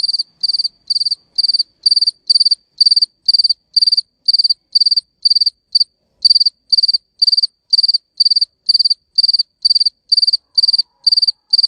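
A cricket chirps steadily, each high, pulsed trill repeated about twice a second.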